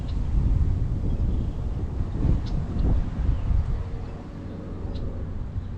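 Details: Low rumbling wind and engine-like noise throughout, with no animal calls.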